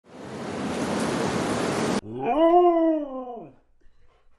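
Two seconds of loud, hissing static come first. Then a Siberian Husky lets out a short, tuneful howl that climbs, holds, and sinks away in just over a second.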